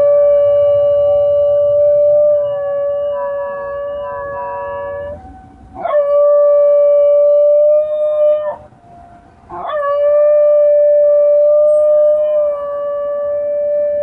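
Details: Basenji dog howling in imitation of a tornado siren: long, steady, harmonic-rich wails held at an even pitch, broken by two short breaks where the voice swoops up sharply before settling back into the sustained tone.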